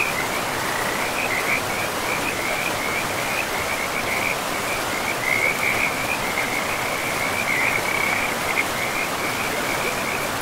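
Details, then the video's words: Along a river in pristine forest, frogs keep up a near-continuous high chirping trill that wavers and swells, set against the even roar of the flowing river. "River and Frogs sleep sounds"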